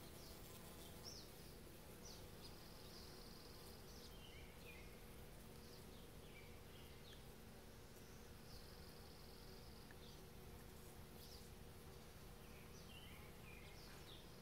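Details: Bees buzzing around rhododendron flowers on 18 May 2020, a soft continuous low hum under steady background noise, with faint higher hisses now and then.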